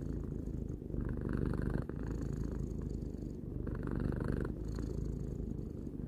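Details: Close, low-pitched purring of a three-year-old domestic cat, a continuous vibrating rumble alternating between stronger and gentler phases as it breathes, about two seconds each.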